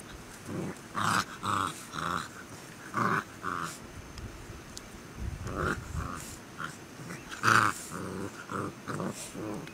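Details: Tibetan Mastiff enjoying nature, giving a run of rough, harmonic growling bursts, roughly a dozen over ten seconds at uneven intervals, with low rumbling background noise between them.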